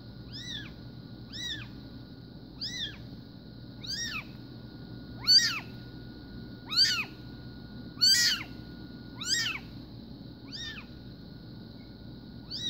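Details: High-pitched arched mews from SBT Bengal kittens born 04/02/2016 come about every second, growing louder and harsher midway before softening again, over a quiet low hum.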